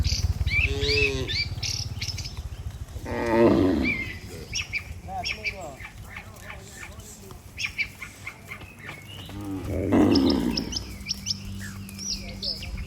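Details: A herd of cattle heading back to the shed with their herder; two loud, low moos rise near 3.5 and 10 seconds, with busy bird chirps and twitters filling the gaps between them.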